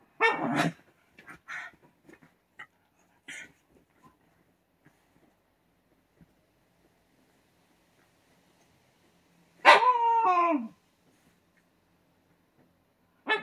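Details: A white Shiba Inu indoors, kept from digging in futon bedding, gives a sharp bark, a few soft clicks, then a loud drawn-out whining yelp near ten seconds, about a second long and falling in pitch, and another bark at the close.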